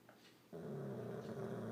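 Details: Kelly, a pet Old English Bulldog, snoring very loudly indoors: after a brief quiet moment, a sudden low, rasping, droning snore with a buzzy layered tone holds steady to the end.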